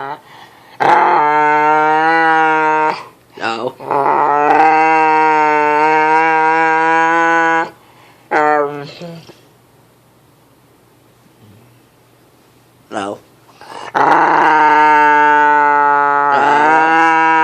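A dog makes long, droning, moan-like tones, each held steady for several seconds.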